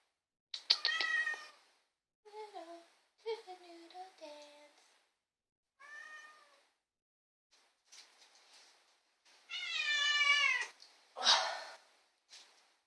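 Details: Vocal female pet cat giving a varied run of meows: some clear and mid-pitched, some low, short and chirping, then a long, loud, wavering meow followed by a harsher, noisier one.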